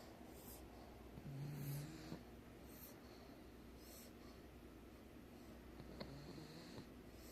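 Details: Sleeping pug snoring in a small room, one soft low rumbling snore near the start and a fainter one later, with quiet wheezy breathing and light background hum.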